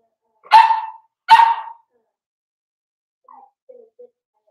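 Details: Daisy's four-week-old Cavalier King Charles Spaniel puppies in their indoor pen: two loud, high puppy barks about a second apart, followed by a few soft, brief whines.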